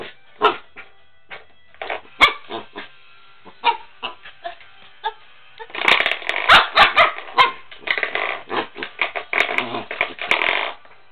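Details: A corgi puppy attacking a hallway doorstop gives sharp, high yips and small barks, spaced at first, then in a dense, excited flurry, mixed with twanging, rattling knocks of the doorstop.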